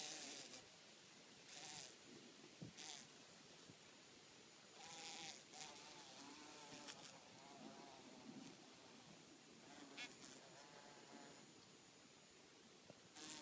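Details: Mating bees produce repeated wavering buzzes, each lasting about a second, with rising and falling pitch, among loud bursts of wind rumble.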